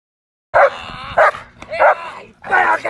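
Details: A female German Shepherd gives loud, harsh barks in short bursts during sleeve-bite attack training for a ZTP breeding suitability test in Versilia, Italy, as her handler calls out and praises her; German Shepherd.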